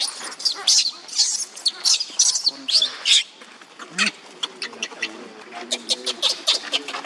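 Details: Leo, a young monkey, cries on the ground while Libby, another monkey, torments him: harsh, shrill, noisy screeches in quick bursts, some long and some short, with softer wavering whimpers in between.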